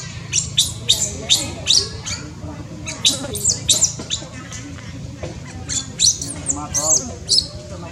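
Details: Newborn baby monkey from Cambodia, born in tall trees, uttering shrill squeaks in loose groups, mixed with a few lower, buzzy wavering calls, over a steady low background hum.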